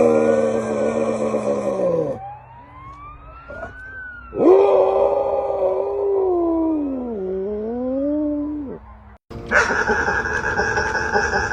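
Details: A dog making strange noises: long, wavering, howl-like tones that slide up and down in pitch, swelling and dipping for several seconds, then a short break and a brighter, harsher burst of sound at the end.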